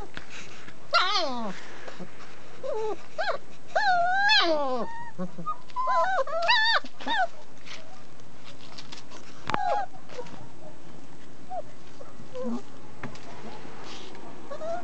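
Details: German Shepherd puppies, 29 days old, from a litter raised in a family setting at a breeder, whimper and yelp in repeated high, wavering cries that rise and fall, bunched in the first seven seconds, then sparser fainter whines over low background noise.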